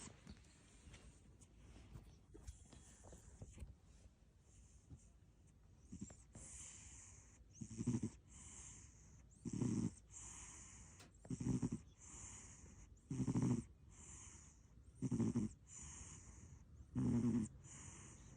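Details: Short-legged American Shorthair cat making a funny face while asleep, snoring: after quiet breathing, low rasping snores come about every two seconds in the second half, each with a hissy breath.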